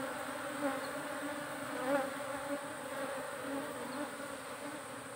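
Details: Buzzing of farmed honey bees: a continuous droning hum with clear low harmonic bands and small swells in loudness, with no other sounds standing out.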